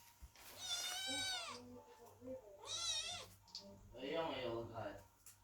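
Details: While mother cat Chloe is giving birth, the kittens call loudly at the door: two shrill, bright meows about two seconds apart, each bending downward at the end, then a murmured human voice.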